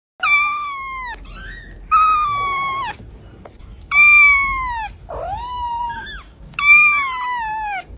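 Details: Small cat calling indoors: four loud, drawn-out meows with rich harmonics, each about a second long, spaced around every two seconds, with quieter, shorter chirping mews in between.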